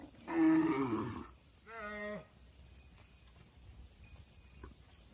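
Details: Farm cattle as mother cows go into the barn and their calves remain outside. A loud, rough, broad bellow is followed by a shorter, cleaner, tonal moo, then quiet barn noise with faint knocks.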